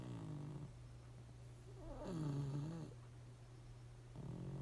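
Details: Pugs asleep and unaware of the camera give one long, gurgling, rising-and-falling snore in the middle, with quieter rasping breaths at the start and end, and a steady low hum throughout.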